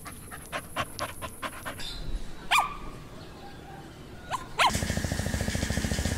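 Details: Small-breed puppies (Pomeranian, Chihuahua, Maltipoo, Poodle, Bichon Frisé) vocalising while playing and exploring; a run of rapid short yips, a couple of thin whining squeaks, then fast rhythmic panting.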